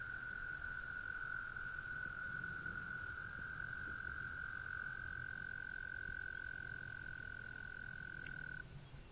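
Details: Amphibians heard at dusk in Somerset, a sustained even trill running for about eight and a half seconds before stopping abruptly, with soft low wind rumble underneath.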